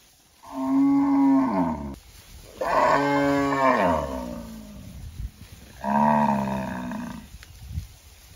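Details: Loud cattle moos: three drawn-out, strongly harmonic calls about a second and a half each, the middle one sliding downward, spaced a few seconds apart over faint low background noise.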